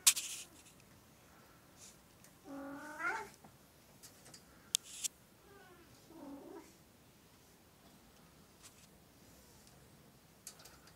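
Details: Oriental or Siamese cats indoors, one short harmonic meow followed by a fainter wavering cry, with scattered knocks and rustles in a quiet room.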